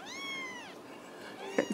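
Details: Ragdoll kitten raised indoors at a home cattery in central Kansas gives a long drawn harmonic meow, steady then falling, about three quarters of a second, followed by brief clatter and the start of a woman's voice.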